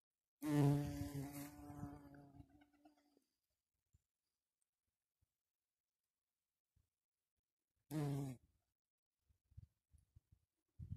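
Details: Red-tailed bumblebee (Bombus lapidarius) buzzing: a loud, low droning hum that lasts about two and a half seconds and then fades. After a silence, a second short burst of buzzing comes near the eighth second, followed by faint ticks.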